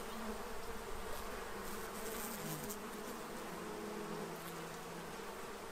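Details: Bees at a feeding tray in Central Illinois, stocking up for winter, produce a continuous swarm drone. Several low hum tones overlap and waver slightly as individual insects pass closer, with a light hiss of background noise.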